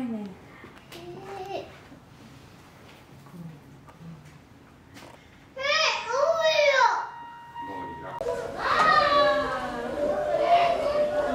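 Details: Young western gorilla Kintaro, at Kyoto City Zoo on a cold weekday with light snow falling (12 January 2022), gives loud, strained harmonic shouts in bursts, each rising then sliding down in pitch, after a quiet stretch with faint background chatter.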